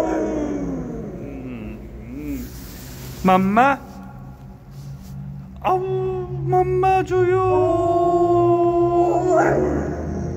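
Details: Pet dog Kani, a domestic dog seen on Korean TV, gives short rising yelps, then a long level howl at home, with low background sounds early on.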